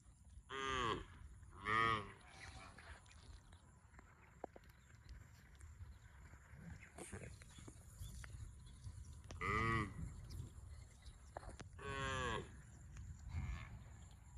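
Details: Cow giving several short, harsh moos: two near the start, a long quiet stretch, then three more toward the end, over a faint background hum.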